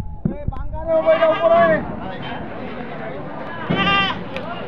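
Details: Goats at a livestock market, where wholesale buyers from various districts come to buy, being loaded onto a vehicle: a long quavering, nasal bleat lasting under a second, then a shorter wavering bleat near the end, amid people talking.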